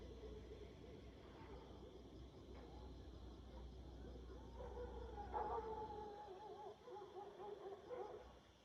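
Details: Golden jackals (Canis aureus) howl at night in a Nepalese village on 31 January 2023, wavering, quavering wails rising and falling over a low rumble, with village dogs also barking.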